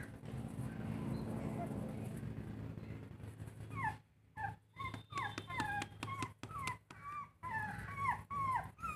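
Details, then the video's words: Puppies fighting: after four seconds of low rumbling noise come a series of short, arched whining yelps, rising then falling, each under a second, with brief quiet gaps between them. "Cute Puppies Intense fight| Dog fight"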